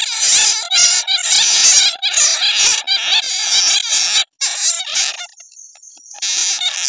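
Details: Real calls of netted bats, played as a bat lure: loud bursts of shrill, scratchy squeaking chatter, broken by short pauses and a brief steady high tone near the end.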